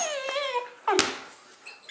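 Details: Greenbow, a 12-week-old golden retriever/German Shepherd mix puppy in foster care in Troy, Illinois, playing indoors with his pals; a thin, high whine slides gently downward, followed by a short, sharp squeak and quiet room noise.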